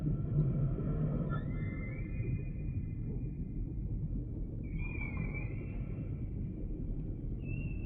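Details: Humpback whale song: faint high whistled upsweeps rising and levelling off, separated by pauses, over a steady low underwater rumble.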